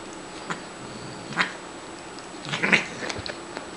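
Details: Shiloh, a pet Siamese cat rescued as a kitten from a grocery store loading dock, meows twice at play: a brief call, then a stronger rising-falling cry a second later, with soft handling noises.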